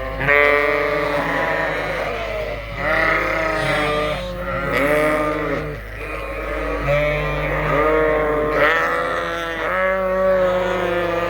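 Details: Dense chorus of Suffolk lambs in a barn at Ewetopia Farms, one big mixed group after a gate was left open, with many overlapping rising and falling bleats every second or two over a low hum.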